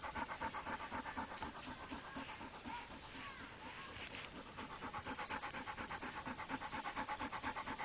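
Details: Pit Bull named Rako, a trained dog, panting in rapid regular breaths, about two per second, with a brief pause in the middle before the rhythmic huffing resumes.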